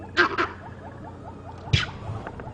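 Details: On a sunrise safari drive in late September, monkeys give harsh, explosive alarm barks near a leopard with a kill, two in quick succession and then a third after a pause.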